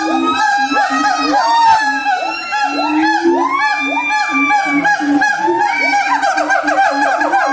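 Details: Siamang, the black long-armed tree-dwelling Sumatran gibbon, singing: dense overlapping low booming notes repeat rapidly, while rising and falling whooping sweeps climb above them throughout.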